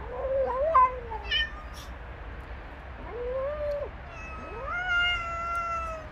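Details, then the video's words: Street cats in a fight as three males attack a female: short chirping meows, then long rising yowls that hold steady for over a second before fading. "Poor Female Cat Attacked by 3 Male Cats."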